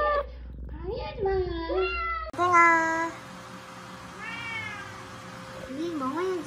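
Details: Stray cat mother and daughter rescued in Haeundae after seven years on the street, one with a traffic-accident fracture healed as it was; several drawn-out, arching meows, one rising then falling, over a steady faint hum.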